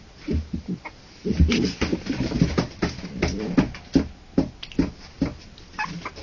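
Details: Three-week-old harlequin poodle puppies, born October 28 2009, give a run of short, low squeaky grunts and whimpers, repeated roughly every half second with small pauses, over soft rustling and handling noise.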